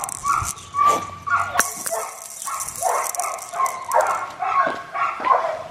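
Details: Young black tri male Australian Shepherd puppy at an Oklahoma breeder's farm gives a string of high, squeaky barks and yips, roughly one to two per second, some sliding into whimpers, with a brief sharp knock and faint voices.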